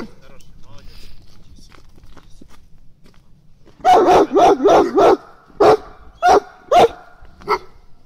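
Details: Shepherd dog barking on guard during its first protection-training session: quiet talk and faint movement, then a sudden run of about eight loud, harsh barks in close bursts over four seconds.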